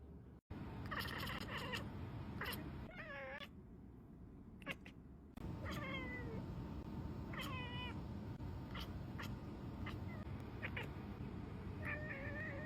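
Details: Tuxedo cat indoors, distracted by her birds while searching for treats buried in dense real grass, making repeated short wavering chirps and trills that waver down and up, spaced a second or two apart, over steady low background hum.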